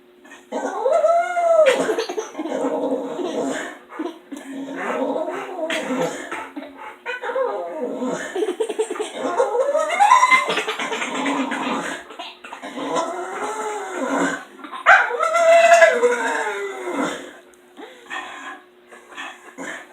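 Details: Female dog left alone in the house while the other two dogs are away, giving repeated arching, howl-like whines that rise and fall every few seconds, mixed with yips and mutters, and a faint laugh; constant low hum.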